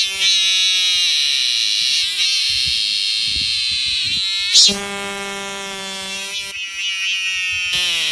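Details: A cicada on the Mutianyu section of the Great Wall of China, north of Beijing, gives a loud, steady, harsh buzz that drones on with brief breaks and slight shifts in pitch.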